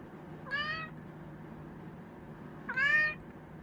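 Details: Two short, bright meows from Ponta, a pet Chinchilla cat, about two seconds apart, each rising then dropping, the second louder, over a quiet room hum.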